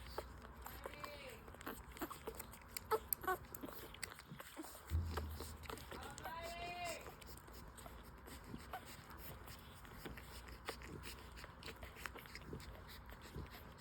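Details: Newborn full-suit French Bulldog puppies, five days old, breastfeeding; two short high whining squeals with stacked overtones, one rising then falling near the start and another about five seconds later, over a bed of soft sucking clicks and low rumble.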